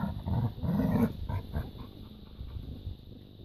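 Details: Labrador retriever puppies playing in a garden: low, rough growling and grunting bursts, loudest in the first second, then trailing into softer scattered grumbles amid rustling.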